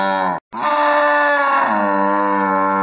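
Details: Cow mooing in a children's lesson on household animals: one long, steady, low, droning moo lasting over two seconds after a very short first note, with no other sounds.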